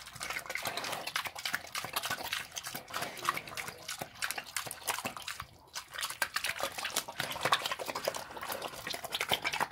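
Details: Wet, noisy munching from a pig eating slop: crackling chews and slurps in dense runs, a short pause midway, then renewed vigorous smacking.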